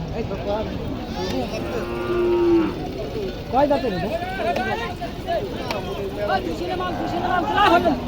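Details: Dairy cows kept with young calves at the Aricha cattle market give a long, low drawn-out moo near the start, then several shorter bellowing calls, over market crowd chatter and background traffic.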